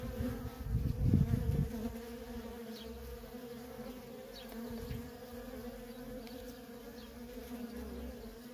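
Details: Nonstop worker bee traffic at a feral honey bee colony: continuous humming drone with stacked harmonics, a burst of low rumbling bumps in the first two seconds, then an even buzz to the end.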